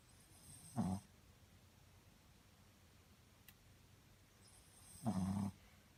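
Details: Soft, deep snoring from a Shih Tzu named Muku-chan sleeping peacefully; two rasping snores roughly four seconds apart in a hushed room, with a tiny tick between them.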